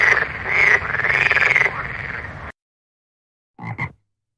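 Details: Nighttime frog in a marang tree makes drawn-out, rasping croaks for two and a half seconds, then after a silence two short, quick croaks.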